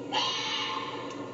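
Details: A red fox in Vermont gives a harsh, raspy scream, drawn out and wavering for over a second; such screams were once thought to be a fisher's, and this is likely a mother with kits.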